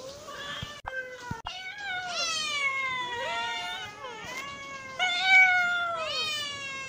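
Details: A hungry domestic cat meows repeatedly in quick succession, overlapping wavering calls that slide downward, with a couple of sharp clicks near the start.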